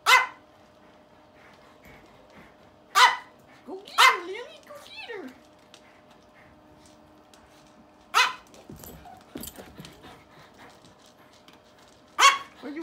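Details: During a bout of zoomies, a dog gives single loud, abrupt barks roughly every few seconds, five in all, with a short yelping sequence after the second and a steady low hum underneath.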